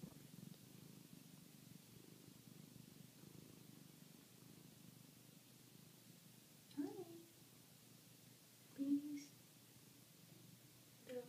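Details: A one-year-old mother cat with her six-day-old kittens in foster care, found in Aurora, Colorado: a low, soft, continuous purr, then a few brief high squeaks from the kittens, with quiet human speech nearby.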